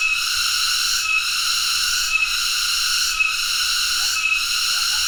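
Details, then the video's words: Tonggeret cicada buzzing hard and high, an unbroken rasping whine that pulses with a small dropout close to once per second. "tonggeret (Cicadidae) sound"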